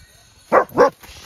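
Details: Five-month-old female German Shepherd puppy, slightly worried by large horses pulling noisy wagons nearby during socialization, giving two short, sharp barks in quick succession, then quiet.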